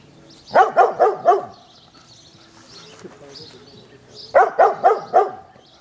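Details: Pet dog Izzie barking at balloons on the garden fence, giving two tight bursts of four sharp, mid-pitched barks each, about four seconds apart, with faint birdsong and a low murmur between them.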